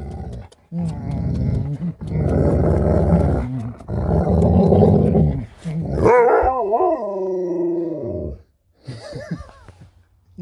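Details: Sherpa the Alaskan Malamute 'talking' in a run of low, rough, growly grumbles lasting several seconds, then a rising-and-falling yodelling howl that glides downward, ending with a brief human voice.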